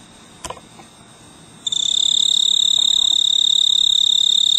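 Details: Snowy tree cricket on a clematis vine on a veranda in mid-August late summer, stridulating from a large purple bloom to attract a mate; after a quiet start, a steady high pulsed trill sets in, about three pulses a second, with a higher overtone band.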